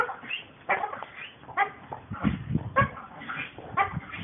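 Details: Working American Pit Bull Terriers bark in rough, harmonic bursts spaced roughly every second, mixed with low thumping knocks in the middle of the recording.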